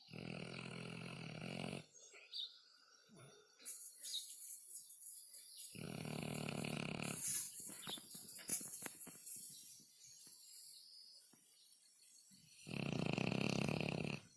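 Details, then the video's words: A dog snores in its sleep, giving three long, harsh, buzzing breaths spaced roughly five to six seconds apart, with quiet rustling and household noise between them. "Funny dog snoring"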